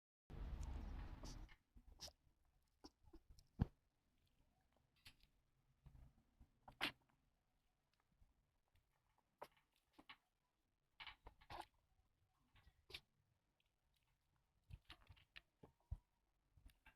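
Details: Blue-tan and white Chihuahua puppy named Ash, newly arrived at home, coughing for four days before a vet diagnosed kennel cough; indoors, a loud opening burst, then short, sharp, dry bursts scattered every one to two seconds in a quiet room.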